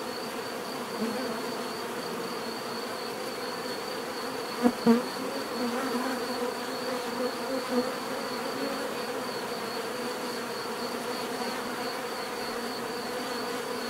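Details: Steady drone of many bees, low and continuous, with a brief loud bee passing close at about five seconds and softer swells after it; a thin pulsing high-pitched tone holds in the background.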